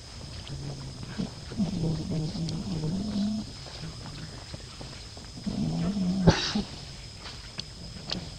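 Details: Monkeys Luna and baby Lucie, after Luna kicked the baby so that she fell into a hole. Two bouts of low, harmonic wavering cries, the first about two seconds long and the second shorter, with a sharp click between them and outdoor background noise.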